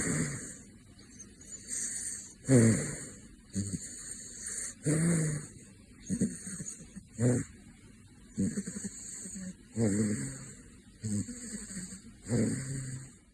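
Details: Caracal (Caracal caracal), snoring.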